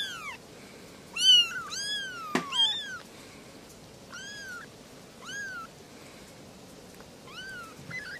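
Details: Kittens, three of them, calling with thin arched mews; a cluster of rapid cries early, a sharp click, then spaced single meows about once every second or so, quieter toward the end.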